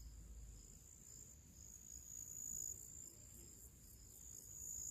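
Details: Crickets, with other small creatures, singing their pre-evening song outdoors in summer: a steady, very high-pitched continuous ringing trill with faint rapid pulsing above it, over a soft low background rumble.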